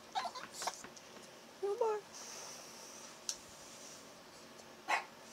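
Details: Cashew, a Chihuahua puppy, makes a short rising, squeaky whine while someone blows on his ears to warm them. Brief yips and breathy puffs come before and after, and a woman's voice is heard softly.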